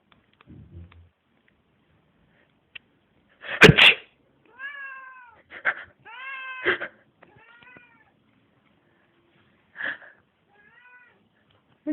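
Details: Mitzy, a pet cat that meows whenever someone breathes in deeply or sneezes: loud sharp sneeze-like bursts of breath, each followed by short harmonic meows, some rising then falling, in a quiet indoor setting.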